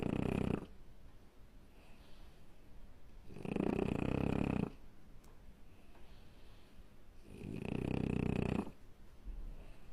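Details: A French Bulldog puppy snores with loud, rasping, rumbling breaths every three to four seconds.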